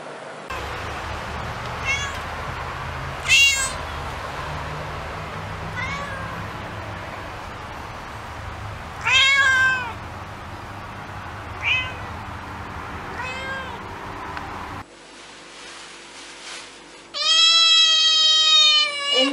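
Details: Meowing domestic cats and kittens from a compilation: scattered short mews over a noisy, rumbling background, then a cut to a loud, long, sustained high meow near the end.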